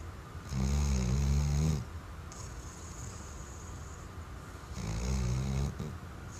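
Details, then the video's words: Weimaraner dog snoring in its sleep: two long, rumbling, rattly inhaled snores a few seconds apart, separated by soft breathy exhalation. "Snoring Weimaraner"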